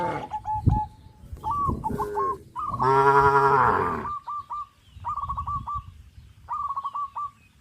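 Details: Tame cows crowding around the fields, running and jumping for joy: one loud, drawn-out harmonic moo in the middle, with repeated short whistled bird chirps before and after it.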